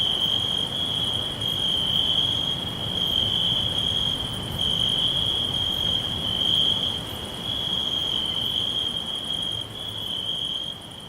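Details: Crickets in a green forest sing a sustained high buzzing trill, its loudness swelling and easing slightly, while fainter higher chirps repeat in quick rhythmic bursts above it.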